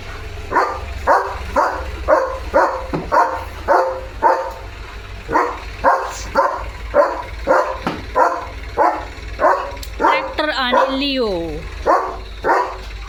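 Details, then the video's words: Leo the German Shepherd barks steadily at a tractor passing in front of the house, loud harsh barks repeated roughly twice a second for over ten seconds, with a brief whining yelp near the end over low engine rumble. "ट्रॅक्टर बघून Leo The German Shepherd ला काय झालं?"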